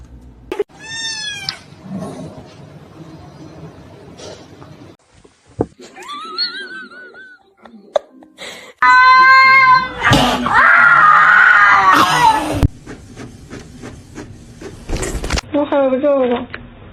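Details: Domestic cat meowing indoors: several short high rising-falling meows, a long loud drawn-out yowl in the middle, then quick wavering cries, with people laughing and talking nearby.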